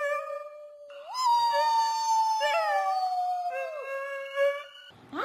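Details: Dog holding one long, steady howl that jumps up in pitch and then slowly sinks for nearly three seconds before a softer, lower tail, with a person speaking at the end.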